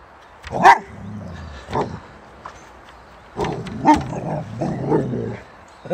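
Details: Boxer dog Rex playing a game with a bucket while holding a ball in his mouth; a few short loud barks near the start and middle, with growly low sounds between and a person's voice faintly behind.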